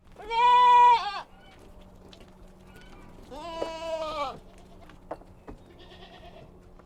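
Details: Kid goats on a farm on a mountain: two loud, nasal bleats with rich harmonics, the first steady and about a second long, the second wavering and longer after a short pause, followed by faint clicks and quiet background.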